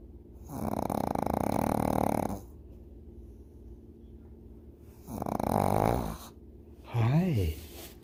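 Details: Pug puppy asleep, giving two drawn-out buzzy snores with soft breathing between, then a person's voice rising and falling at the end.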